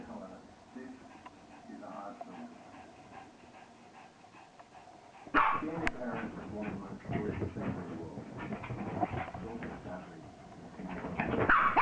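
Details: Maisie, a pet dog with newly recharged batteries, going wild with renewed energy; after a quiet opening, loud excited yelps and barks burst in near five seconds and continue in uneven bursts, with human speech throughout.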